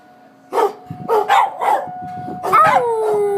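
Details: Dog named Willy freaked out by tornado sirens in Coon Rapids, giving a few sharp barks then a drawn-out falling howl over a constant siren drone.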